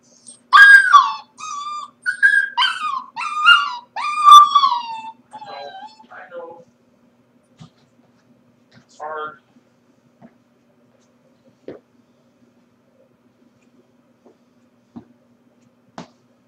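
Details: Home alone during the workday, a Corgi pup gives a run of loud, tonal whimpers over about six seconds, rising and falling and ending in a drawn-out downward moan. Near-silence follows, broken by one soft whine and scattered small clicks.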